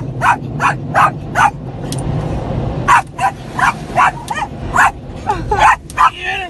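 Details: Pet Yorkie Skippy, on his first car wash ride, barks to guard his family from the noise after dark; quick rhythmic barks about every third of a second, some pitched higher and yelping, over droning car wash rumble and faint voices.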